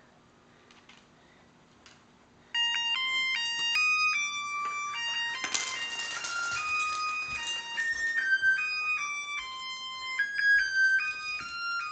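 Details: After a quiet start, a tinny electronic birthday-candle melody plays a series of high, stepping tones in a small room; no animal voice is heard.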